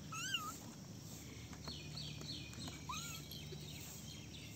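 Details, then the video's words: Little kittens playing together in a basket; two short high meows with a rising-then-falling curve, one near the start and one about three seconds later, with faint thin squeaks and a steady low hum behind. "Basket of cute little kittens meowing and playing"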